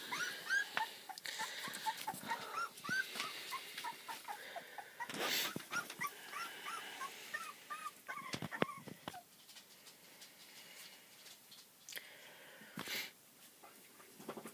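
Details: Pembroke Welsh Corgi puppies at three weeks old, a litter of four males and one female just beginning to play and growl; thin rising squeals and whines repeat rapidly, broken by bumps and scuffling, then quieter stretches.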